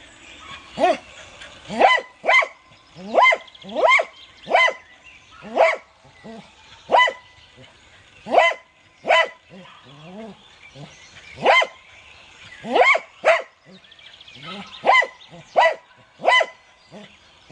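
An American Cocker Spaniel barks in sharp, ringing bursts, singly or in quick pairs.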